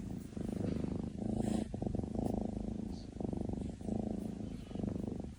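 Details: Low, grainy rumble from NaNa, a Maine Coon asleep, rising and falling in even one-second waves with brief gaps between breaths.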